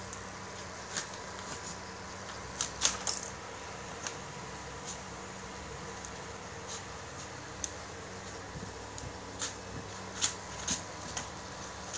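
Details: A quiet room with a fan-like hum, broken by scattered sharp clicks and taps, some in quick pairs; no animal voice.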